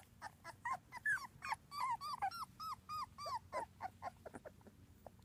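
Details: A rapid run of arched, high whining squeaks, several per second, from two-week-old British Labrador Retriever puppies, a litter of one black male, three black females and two yellow females born June 24th 2015.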